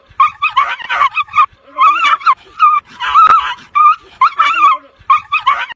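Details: Agitated dogs confronting a grey wolf: a fast, irregular string of harsh yelps and barks, some with whiny rising and falling tones, about eight bursts in under six seconds.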